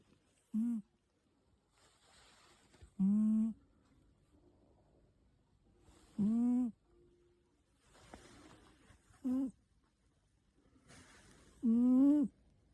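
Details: A sleeping cat snores in short squeaky, wheezy tones, each with a slight upward lift at the end, repeating about every two to three seconds in a quiet room with soft breathing between.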